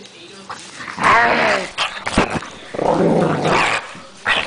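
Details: Dog named Gypsy growling at a blanket indoors: a harsh rumbling growl with a rising whine near the start, then a second broad noisy growl, with a person's voice praising her around it.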